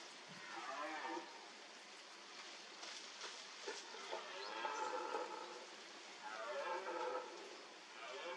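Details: A red deer stag at a mud wallow during the rut gives drawn-out, hoarse bellowing calls that rise and fall.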